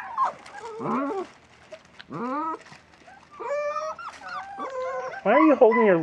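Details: West Siberian Laika puppies from a 37-day-old litter on their first day outside in a puppy pen, giving a series of high, wavering whines and yelps that rise and fall, with short gaps between cries.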